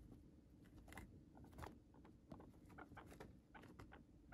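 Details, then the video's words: Close indoor recording of a pet guinea pig gnawing Chinese cabbage stalk cut into sticks: irregular crunchy bites and soft wet chewing clicks, several per second, over faint low background hum. "Guinea Pig Eating Sounds"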